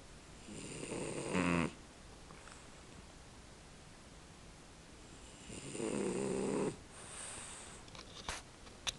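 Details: A male French Bulldog snores in long, rattling breaths with quiet pauses between them while asleep.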